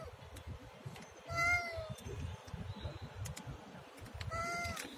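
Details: Siamese cat giving two clear, drawn-out meows with a slight downward bend, about three seconds apart, over a low rumbling background with a few faint clicks.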